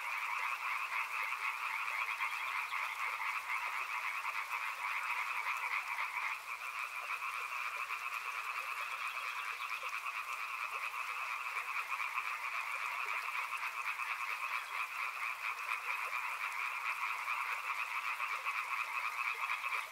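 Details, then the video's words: Long stretch of a riverside frog chorus: countless overlapping voices form a constant rattling, high-pitched drone of rapid pulses, with a brief dip in loudness partway through before the chorus resumes at full strength. "Frog Sounds | Soothing sounds of river and frogs"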